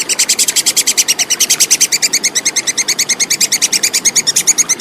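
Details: Clear call of a tupai kekes, or plantain squirrel, recorded as tutoring material for songbirds: an unbroken, fast, even chatter of high, crisp clicks lasting throughout.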